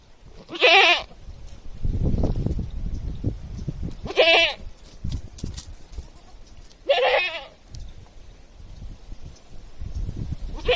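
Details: A village goat gives loud, harsh, wavering screams, each about a second long, roughly every three seconds.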